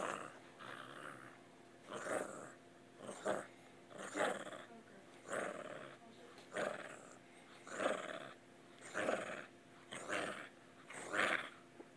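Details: An angry dog, recorded on a Motorola X Android phone, growls in rough rasping bursts roughly every second, rising and falling like a boat engine trying to start, about ten pulses in a row.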